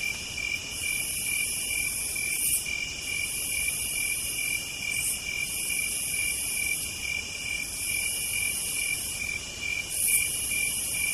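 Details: Cicadas on a warm southern night: loud sizzling buzzes lasting about two seconds alternate with brief pauses over a steady metallic trill, the pattern repeating throughout.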